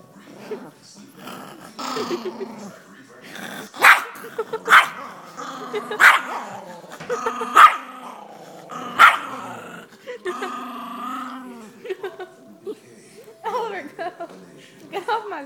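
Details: Tiny two-pound Yorkshire Terrier guarding food from other dogs in the house: rumbling growls broken by sharp snappy barks at irregular intervals, with a woman talking over the dog throughout.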